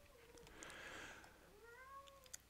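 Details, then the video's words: A talkative female domestic cat meowing in the background indoors: faint, drawn-out meows that wobble and rise then fall gently, one near the start and a longer one in the second half, with no other clear sounds. "I don't know if you can hear my kitty cat in the background she's being talkative now"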